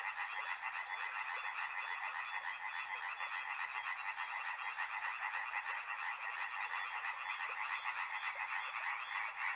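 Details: Dense chorus of frogs by a river, fast overlapping croaks merging into a constant buzzing trill, opening with a brief high buzz and with faint high chirps scattered through.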